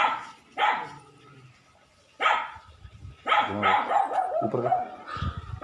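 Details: Puppies offered for sale in India on 7 December 2020, one of many breeds listed: short, harsh dog barks or yelps come in separate bursts, roughly five over six seconds, with a long quiet gap after the first.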